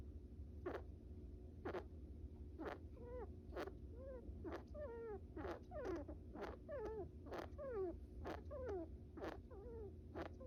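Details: Sleepy pet brown rat Bippo, a vocal little male, snores while napping: single clicks at first, then clicks paired with short descending squeaks, about once a second.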